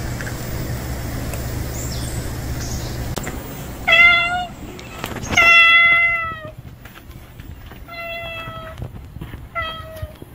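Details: Unfamiliar male stray cat, newly appeared, gives four clear drawn-out meows with rich harmonics, two close together then two spaced about a second and a half apart, over a low steady hum and faint outdoor background.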